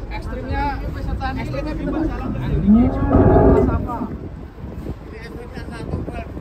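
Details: Huge contest cattle unloaded from a truck in Boyolali, Indonesia, give one strong, rising, harmonic moo lasting about a second and a half, over constant crowd voices and mechanical background noise.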